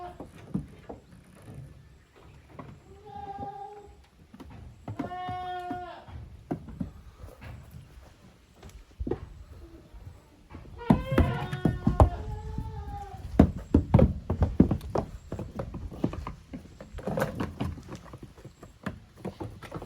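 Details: Two teams of goat kids, Koharu's and Okayu's young, play in the exercise yard of a handmade goat farm in Japan, 13 June 2023. Scattered bleats, one faint and one clearer, come early, then a louder quavering bleat amid dense clattering and thudding.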